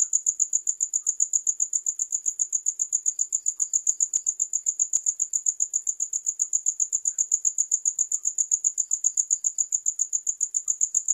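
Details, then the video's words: Continuous shrill cricket song, a thin high pulse repeated rapidly and regularly, with a couple of soft ticks in the background and nothing else. "Sound of Crickets"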